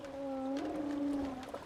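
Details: A male humpback whale (Megaptera novaeangliae) sings in Hawaii during the breeding season, a long, steady, mournful tone with a clear overtone held over a second; all singers there share and update the same song.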